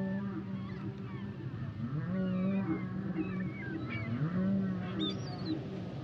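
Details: Humpback whale song: low moaning tones held near the bottom of the range with sliding upsweeps, layered over higher wavering whistles and chirps, the whole phrase continuous and rich, with a steady underwater hiss beneath.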